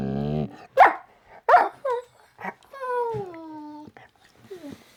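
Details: Dog giving a series of short sharp barks with a low harmonic opening note, then a long whine that slides gradually downward for about a second, followed by a few softer yelps, in a quiet indoor setting.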